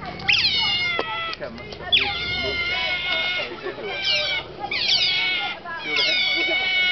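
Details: Otters at Shepreth wildlife park, 18 May 2008, calling close to feeding time: bursts of high, squeaky, harmonic squeals with sharp downward sweeps, repeated in short runs about every second, with faint voices beneath.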